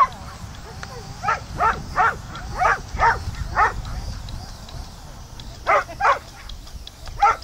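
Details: Samoyeds, a working breed, out lure coursing and chasing an artificial lure: sharp, excited barks in a quick run of about eight, a short pause, then three more barks, over a low outdoor rumble.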